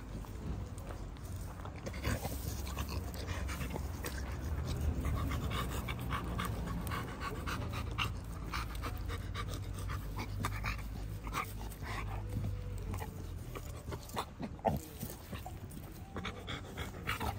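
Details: Pit Bull dogs panting: rapid, rough breathy pulses run steadily for the whole stretch, with a few louder snorting bursts near the end and low background rumble throughout.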